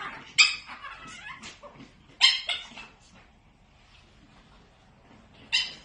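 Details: Chiweenie puppies: three loud, piercing yelps, each followed by softer squeaks, with a quieter stretch between the second and third.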